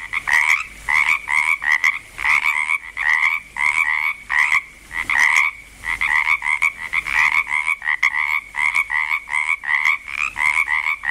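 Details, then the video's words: Frogs in Langlois, Oregon, starting up their chorus, with many voices overlapping in quick rasping croaks. The bursts pile up almost without gaps, each one pairing a lower tone with a brighter, higher one. "frogs croaking in Langlois Oregon"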